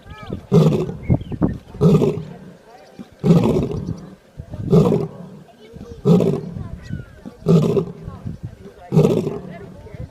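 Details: Sleeping lion snoring: deep, rumbling breaths that come as regular pulses about every one and a half seconds, each a short, broad, low burst with quieter gaps between.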